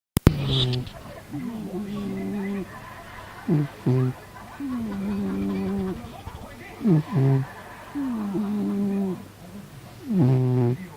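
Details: A homely domestic cat snoring in its sleep: a whistly, steady nasal tone alternates with short, louder, deeper rasping snores roughly every three seconds, after a sharp click at the start.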